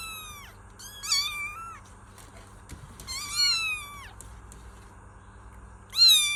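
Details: Kitten meowing; three clear high-pitched meows, each a strong harmonic tone falling slightly at the end, spaced a few seconds apart, over a faint steady low hum.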